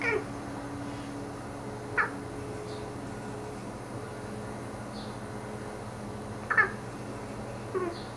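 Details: Salomon, a pet cat, talking to the birds outside the window: four short, bright meow-like chirps with falling harmonics, spaced a few seconds apart over a steady low indoor hum.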